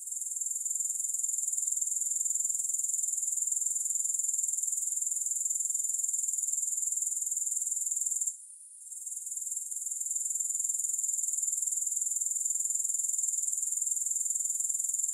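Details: Shrill, continuous grasshopper chorus without music, a high buzzy trill with a slightly uneven throb that drops out for a moment midway, then returns as strong as before.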